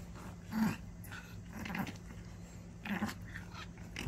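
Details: Ten-year-old small Maltese gives short, low rumbling growls in bursts roughly every second while playing tug.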